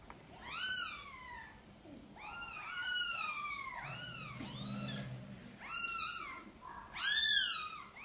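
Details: Cat meows in a small room as mother cat Sonny asks for help getting her tiny kittens into the nest. High, drawn-out mews rise and fall, several in a row, with a soft low rumble midway.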